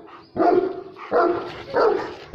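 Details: Dogs fighting, a giant Saint Bernard against a massive German Shepherd: three loud, rough, drawn-out barks or growling bursts, each about half a second long, coming in quick succession.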